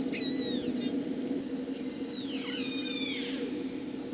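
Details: Killer whale pulsed calls, harmonic squeals sweeping downward from high to middle pitch in repeated bursts; a family's learned dialect, recorded at sea with a hydrophone, shown alongside related families Moloko, Drkin and more distant Hookie of the same acoustic clan.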